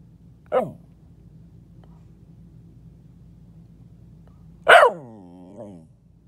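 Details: Pet dog under a bed barking: one short bark, a quiet pause with low background hum, then a louder bark trailing into a falling, wavering groan.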